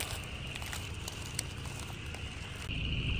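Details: In early January, in cool weather near the beginning of their breeding peak, a dense, loud chorus of Upland Chorus Frogs blends into a steady, high, buzzy trilling heard over the low rumble of a car.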